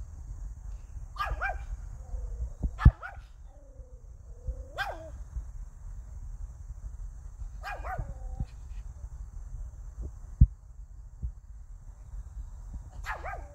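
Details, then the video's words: Pomeranian named Hiku barking: five short, sharp yaps spread over about thirteen seconds, each a quick bright burst with falling tone, over a steady low rumble and a faint high electrical whine. "댕댕이 히쿠 짖어짖어"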